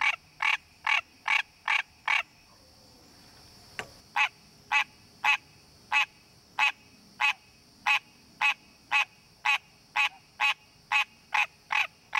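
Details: A wild green tree frog calls in its natural habitat to attract a mate, giving a nasal, honking quonk repeated rapidly, about two or three times a second.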